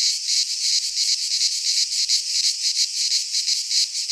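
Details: Cicadas singing in midsummer in a Greek pine forest: a loud, continuous high buzzing chorus with rapid pulsing, about three pulses a second, steady throughout with no other sounds.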